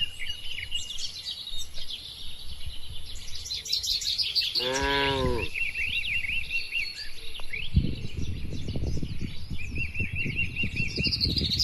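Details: Tame cattle wandering freely through open countryside; a single rich, rising-then-falling moo near the middle, surrounded by chirping birds, followed by rustling noise.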